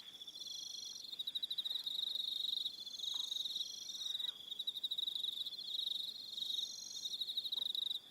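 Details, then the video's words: On Aroha Island in New Zealand, an evening chorus of crickets: layered high, rapidly pulsed trills running almost unbroken, with a few faint lower calls scattered underneath. "Relaxing Evening Sound of Crickets"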